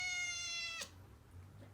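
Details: Pet kitten meowing to beg for human food while chicken is cut up in a kitchen: one long, steady, strongly harmonic meow lasting almost a second, ending abruptly with a click, then quiet background hum.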